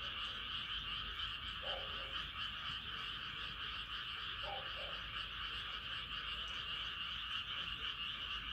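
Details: Night-time frog chorus as the moon rises, a constant high-pitched trilling mass with only a few brief, low croaks breaking through near the middle.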